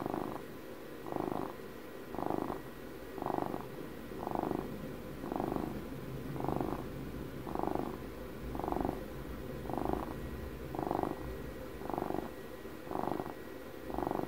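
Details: Twelve-year-old house cat purring in close ASMR-style recording, a steady rumbling purr swelling in soft bursts about once per second, each inhale-exhale pulse clear, with faint low hum underneath.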